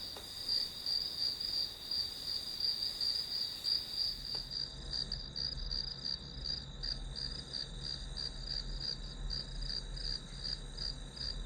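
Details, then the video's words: Grass insects chirping in a shrill pulsed rhythm, about three beats a second. Partway through, a low steady hum starts, the upper hiss drops away, and the pulses continue more muffled. "풀벌레 소리"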